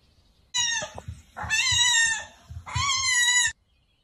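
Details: A very small kitten, loud meowing while trying to climb walls: three long, drawn-out harmonic meows close together, each near a second, the middle one longest, with soft low thumps and scrabbling underneath.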